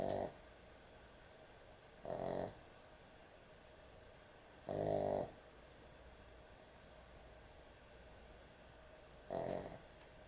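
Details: Heavy snores from a puppy asleep indoors at bedtime: four coarse, rumbling bursts at uneven intervals of two to four seconds, each harsh and throaty, separated by near-silent room tone.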